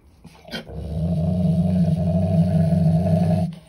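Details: Belgian Malinois showing food aggression over a beef trachea: a brief noise, then one long, steady, deep rumbling growl that holds for about three seconds before stopping.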